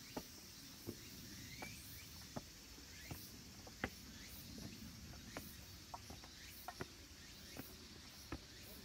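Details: Late-summer cicada chorus among the green trees of a mountain temple, Kabusanji in Takatsuki, Japan: a continuous thin, high buzzing wash, with irregular crisp clicks roughly every second and a low murmuring background that may include wind.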